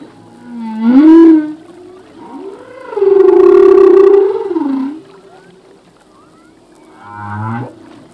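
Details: Male humpback whale singing at sea, song possibly to attract a mate or defend territory: a rising upswept moan, a long sustained harmonic-rich cry lasting about two seconds, then a short pulsed low grunt with a rising tail.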